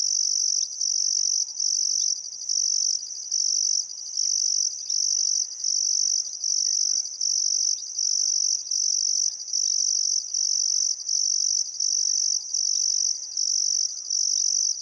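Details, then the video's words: Chorus of crickets by the Barcoo River in Welford National Park, Outback Queensland, at sunset in summer: piercing high trill bursts pulsing about once a second with brief pauses, soft distant birdcalls beneath. "Australian Sunset Chirping Crickets"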